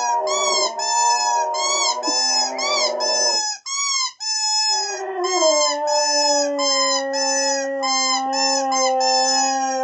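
A Boxer-Husky cross gives a sustained, mournful howl, its voice rich and ringing as it bends and wavers in pitch. After a brief pause, a lower steady tone continues beneath higher, quavering notes.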